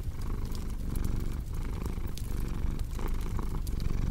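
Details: Domestic cat purring in a steady low rumble that swells and fades with each breath, alongside the sharp pops and snaps of a crackling fireplace.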